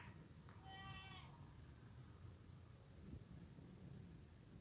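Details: Saanen goat being offered dried seaweed gives a single short, wavering bleat with a clear harmonic tone, faint against a steady low rumbling background.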